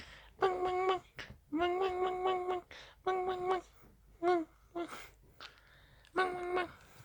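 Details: Dachshund asking to be played with, producing uneven whines indoors: some long and steady, some short and bending upward, with soft breathy sounds and room hum filling the pauses.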